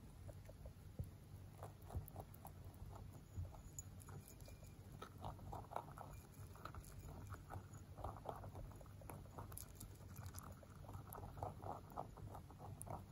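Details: A male mini rabbit born 3 November 2020 crunches hard pellets with quick, dry crackling bites over a low steady hum; an airplane flying very close is heard partway through.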